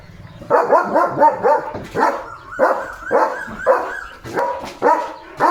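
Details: German Shepherd named Leo barking in a home courtyard garden in the morning, a run of loud, harsh barks about twice per second, some doubled and uneven in spacing, with faint background sounds between barks.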